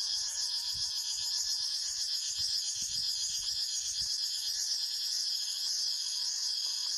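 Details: A steady, piercing insect chorus of cicadas in the forest, with a thick buzzing wall of high tones and a rapid shimmering pulse throughout. Soft low thuds are scattered beneath it.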